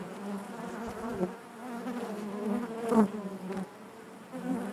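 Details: Brief burst of honey bee hive sound: a constant low droning buzz with rich overtones, one louder swell near the third second and quieter passages after.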